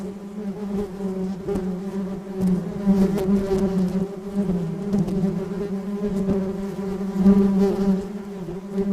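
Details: Continuous buzzing of a flying bee, a low vibrating hum with stacked overtones, growing gradually louder toward the end as it seems to draw nearer.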